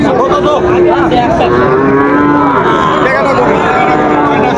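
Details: Moos from young Sahiwal bulls at Raniganj market, Dinajpur, recorded on 9 September 2024. A sustained lowing call slides gently downward through the middle, with other cattle calling faintly and a dense murmur of people behind.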